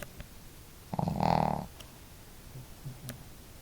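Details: Two pet dogs, Marimo, a female with a hearty snore, and Daigoro, with a modest one, snoring together indoors at home; one loud, rasping snore of about half a second stands out, with faint low breaths around it.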